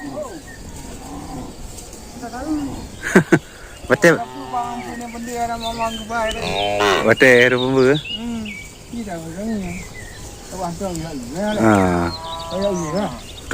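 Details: Cows with odd-sounding voices: drawn-out, deep, wavering moos, the loudest around the middle and again near the end, with shorter lowing between, alongside voices, sharp knocks and scattered bird chirps.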